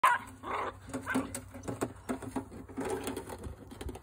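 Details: Several Jack Russell Terriers at play with an aluminum gutter, indoors in a small room; short harmonic barks and whiny yelps come in bursts, with a woman's voice and laughter nearby.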